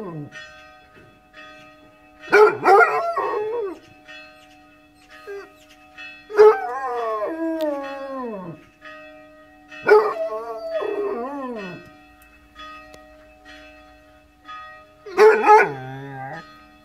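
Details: A Basset Hound, woken by ringing church bells, howls in long, wavering bursts that rise and then slide downward over the steady bells.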